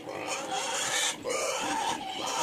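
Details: Native pigs at feeding time in a small backyard farm, giving harsh, broadband grunts and snorts that run almost continuously, with a brief dip near the middle; bucket stirring and a man talking nearby.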